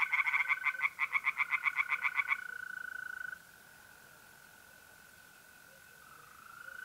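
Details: Tree frogs singing by night in a pond in north-east Italy in mid-April: a loud burst of rapid, evenly spaced croaking pulses, about four per second, for two seconds, then the steady high trill of mole crickets carries on alone.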